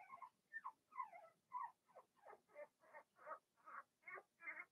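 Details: Cavalier King Charles Spaniel puppies from a Blenheim litter of six, two female and four male, born March 7–8 to Remy, in an indoor puppy pen: a steady run of about eleven short, high, squeaky whimpers, evenly spaced, roughly two per second.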